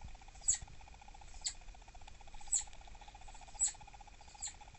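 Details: Annoyed captive southern flying squirrel, the female Dahan, refusing snacks in the evening. Five thin, high-pitched squeaks spaced roughly a second apart against a steady mechanical hum.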